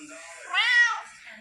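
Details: Red tabby female cat, very vocal and said to act like a Siamese, indoors in October 2023: a single drawn-out meow, rising then falling, with clear stacked harmonics, following a man's speech in a quiet room.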